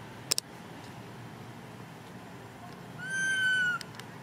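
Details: Baby monkey crying when its mother does not care for it: a single long, clear, slightly falling harmonic cry near the end, after faint clicks, over a quiet hissy background.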